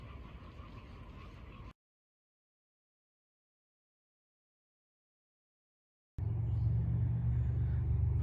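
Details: Low traffic rumble from passing vehicles, broken by a few seconds of silence, with no animal voice heard.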